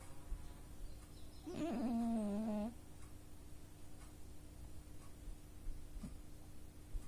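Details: Oz, a male pet cat asleep at home and snoring louder than usual, gives one wavering, tonal, whine-like snore lasting just over a second, followed by quiet breathing and a steady low room hum.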